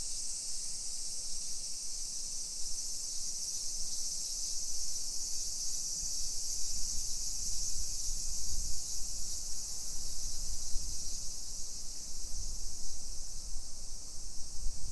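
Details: Cicadas singing on a summer afternoon, 28 July 2021 around 1 PM, in suburban Nisshin near Nagoya, Japan; an unbroken shrill buzz holds for the whole stretch above soft low street rumble.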